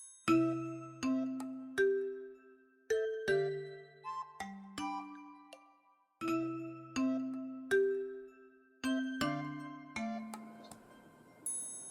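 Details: Gentle chiming glockenspiel-like melody with ringing notes struck in short phrases, and no animal sound.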